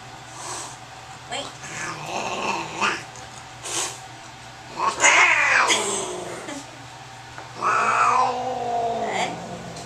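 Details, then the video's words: Angry domestic cat, which urinated during a veterinary examination, caterwauls repeatedly as it gets its rabies shot: harsh, wavering yowls with a long falling wail near the end, amid handling noises and low voices. "Angry Cat"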